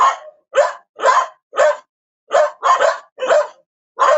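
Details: Several separate barks from a dog, each short and harsh, spaced roughly half a second apart with one closely doubled bark, clean and quiet between them.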